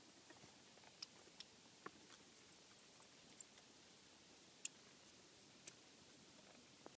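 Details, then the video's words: Bats in a house attic, heard during an inspection for noise: rapid high squeaks and faint clicks at the top of the range, repeated irregularly over the whole stretch, with soft pattering below. "Bats in the attic"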